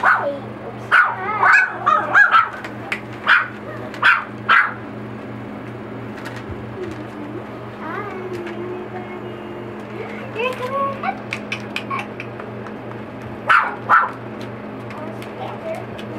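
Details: Yipping four-week-old Boxer puppies socializing with children: a rapid cluster of short sharp yips opens, followed by a quieter stretch of low whimpers and rising whines, then two more yips near the end, over a steady hum.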